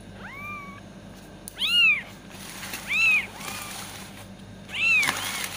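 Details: Kitten meowing to attract cats: a faint, level mew, then three louder arched meows roughly every 1.5 seconds, high-pitched and brief, with a soft low hum underneath.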